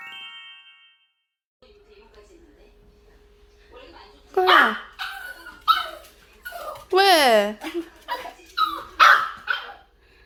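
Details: Small Yorkshire terrier dog indoors greeting family members returning home, some seen daily and others after days or months away: a series of excited high yelping barks and falling whines from about four seconds on, with people talking nearby.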